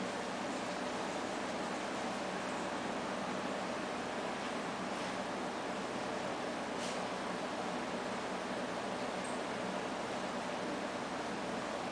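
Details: Steady broadband hiss like a fan or engine fills the room, with faint rustles and a few brief clicks and no animal calls.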